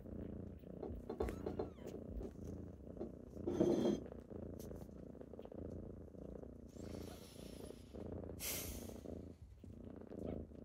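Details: A deep, even purr from kittens rousing their owner in the morning runs unbroken, with bursts of soft rustling and shuffling at about four, seven and eight and a half seconds.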